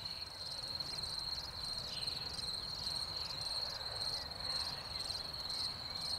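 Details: Several crickets calling in spring following rainfall, a continuous shrill ringing tone with rhythmic pulsing, fairly soft, over a low background rumble.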